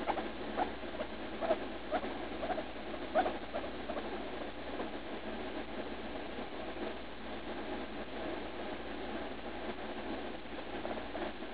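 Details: A three-year-oldish female guinea pig, Leslie, hurting while going to the bathroom after eating lettuce on June 16. A few distinct squeaks come in the first seconds, then softer, muffled stuttering sounds continue.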